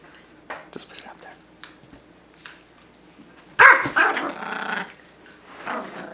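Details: Pet Pomeranian indoors, defending the couch from a Great Dane that came too close. A burst of rough, harsh barking and growling arrives midway, preceded by quieter shuffling and scattered small noises.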